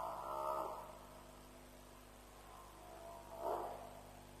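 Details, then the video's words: At a lions' kill at Djuma in the night, around 3:00 am on 07/03/07, an African buffalo gives two rough, moaning bawls about three seconds apart, with a constant low hum behind them. "Buffalo Sounds - Lions' Kill"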